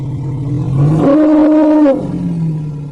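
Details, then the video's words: Kumki elephant, a trained working animal, gives a deep throaty roar swelling for about one second over a steady low rumbling background. "kumki elephant sound effect"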